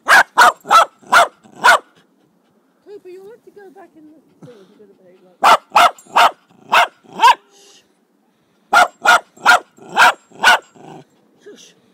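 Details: Jack Russell Terrier, recorded on 26 July 2009, giving repeated runs of sharp, clipped barks, four to six per burst, broken by quiet gaps holding soft whimpering and faint rustling.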